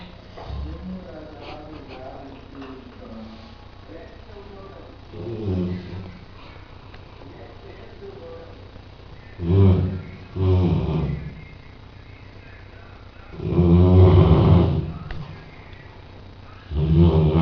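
A sleeping Rottweiler gives low, rasping snores in uneven bursts, some short and one long and drawn out. Quiet human speech is heard near the beginning.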